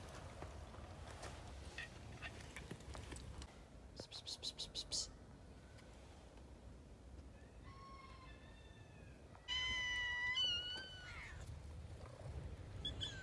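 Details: A cat gives a few short, wavering meows with bright harmonics in the second half, over rustling and clattering household noise with a burst of rapid ticking early on.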